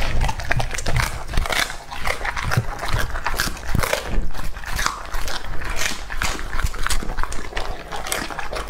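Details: Raw meat being eaten by Lucky, a male English Labrador aged two and a half. Rapid, sharp crunches and bites come in uneven bursts throughout, with a low background hum.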